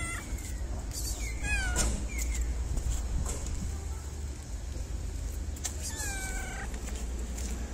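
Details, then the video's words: Stray city cat in Morocco, petted before and after food, gives several short rising-falling meows in quick succession, then a longer drawn-out meow after a pause, over steady low traffic rumble and outdoor background noise. "Sweet Fluffy Cat Who Loves To Be Petted Before And After Food."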